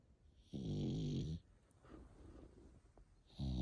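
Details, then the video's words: An eight-month-old French Bulldog puppy snores: a long vibrating low rasp lasting nearly a second, soft breathing afterward, then the start of another rumbling snore. "8 months old Frenchie |Snoring"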